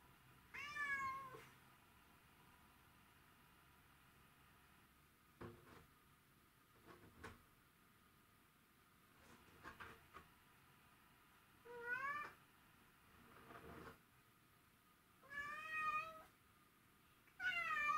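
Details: Mimi, a house cat pining for her absent owner, gives four long, quavering meows, at the start, near twelve seconds, near fifteen and at the end, separated by quiet spells holding faint knocks and soft rustling indoors.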